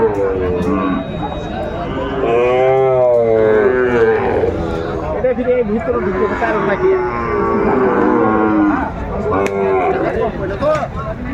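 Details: Sahiwal bull calves at the Saturday Aftabganj cattle market, Kurigram, Bangladesh; overlapping wavering moos rising and falling in pitch, mixed with crowd voices and market noise.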